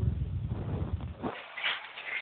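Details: Mother pig in labor at Boso boso, grunting low and fast in a steady pulse for over a second, then fading as human voices and indoor room noise take over.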